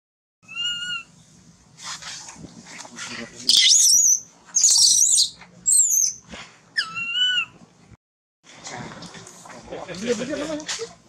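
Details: Hungry baby monkey Thona, having lost its mother, cries loudly: wavering tonal whimpers, then a rapid series of harsh high screams and a falling wail, followed by a noisy stretch of mixed sound.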